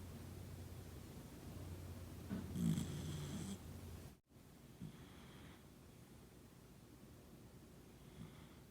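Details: Toy Poodle named Noa, fast asleep and surrounded by family, snoring softly: low rumbling breaths with one louder rasping snort in the middle, then quieter breathing over a steady faint low hum.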